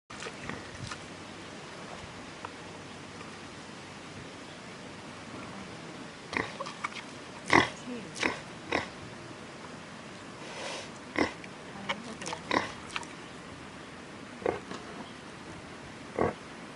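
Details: A wild boar at Blue Hill at Stone Barns, New York, gives short, rough grunts and snorts at irregular intervals.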